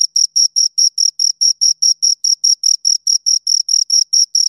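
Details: High, piercing cricket chirps from two insects, about twenty short pulses at a quick, even pace of nearly five per second, clean with no background noise.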